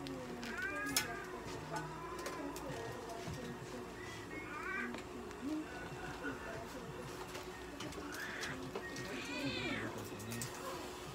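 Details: American Shorthair cat at a veterinary clinic during an ECG test, giving several short harmonic meows, some rising then falling, spread across the clip over background hum and faint clinic noises.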